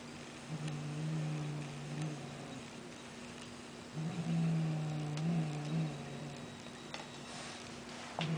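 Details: Toy-aggressive female cat refusing to let go of her toy, giving a low, steady growl that runs in two long stretches with a short pause between, over quiet room noise and faint clicks.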